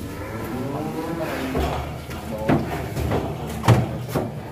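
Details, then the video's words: A raging one-ton cattle breaking out of its pen: a low, drawn-out moo with stacked harmonics fills the first second and a half, then loud thumps and knocks follow while people talk in the background. "SAPI EXTRIM TERKUAT 1 TON LARI NGAMUK KELUAR KANDANG"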